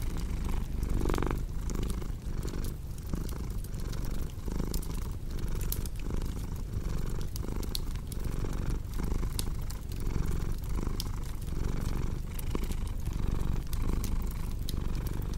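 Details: Purring cat in a continuous low throbbing hum with regular breath-paced pulses, while a cozy fireplace crackles with scattered sharp clicks and pops.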